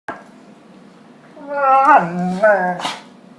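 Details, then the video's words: A dog making weird singing, Chewbacca-like or dying-walrus sounds while playing with a puppy indoors: a groaning, harmonic vocal that rises and wavers for about a second and a half, followed by a brief sharp noise. "Weird dog sounds"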